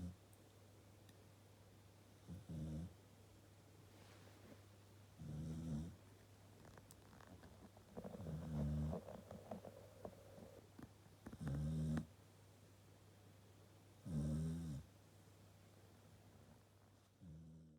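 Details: Sleeping Corgi on its own sofa snoring loudly enough to wake its owner: rasping low snores recurring every three seconds or so, one drawn-out breath in the middle, steady background hum.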